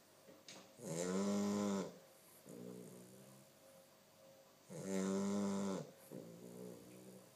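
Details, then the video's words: Simba, a two-month-old Chow Chow puppy, snores indoors: two loud, rough harmonic inhalations about a second long each, roughly four seconds apart, each followed by a softer, lower exhaling rumble. "chow chow simba qui ronfle"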